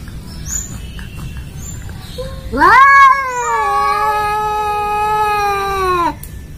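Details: An Angora cat gives one long, drawn-out yowl that rises sharply, then holds steady and sinks slightly, in a meowing match with a village cat; the two never get along.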